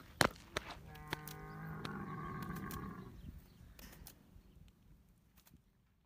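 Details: A riding camel for sale in Riyadh, described as a strong walker that always leads the herd, gives a low harmonic grumbling call lasting about two seconds, with sharp clicks and knocks before and after.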